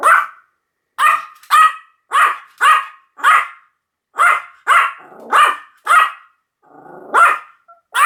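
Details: Pomeranian yapping steadily, about a dozen short, sharp, high-pitched barks in quick succession with brief gaps, one softer whining bark near the end.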